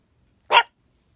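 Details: A female Chihuahua puppy that rarely barks gives a single sharp, high bark at geese she hears on the lake outside.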